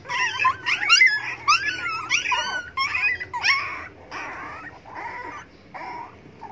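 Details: A hungry dog begs for food with quick, wavering whimpers that curve up and down, fading into lower, softer whines over the last few seconds.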